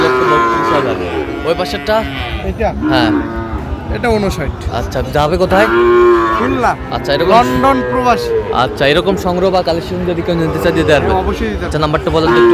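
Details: Sahiwal bull at a cattle market on 31 January 2025, bought by a buyer from London; several drawn-out, arching moos rise and fall around the middle, over a steady din of crowd chatter and voices.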